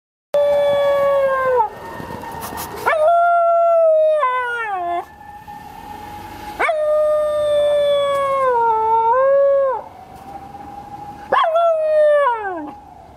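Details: Dog howling, seemingly sending a message to distant companions: long tonal howls with rich harmonics, each held one to three seconds, sliding down at the end, repeated in several waves with a second steadier voice overlapping.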